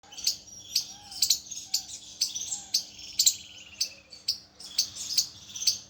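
A squirrel calls with short, sharp, high-pitched chirps, repeated about twice a second in an irregular rhythm. Faint, lower whistled notes sound now and then beneath the chirps.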